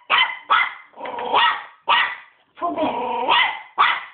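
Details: A 3-month-old West Highland White Terrier puppy barking angrily and nonstop: sharp, loud barks at about half-second intervals, mixed with longer drawn-out growly yowls between them.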